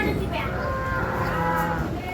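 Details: Holstein Friesian cows for sale at a dairy farm in Ghodegaon near Shani Shingnapur; one gives a drawn-out, steady low moo lasting about two seconds over heavy background noise.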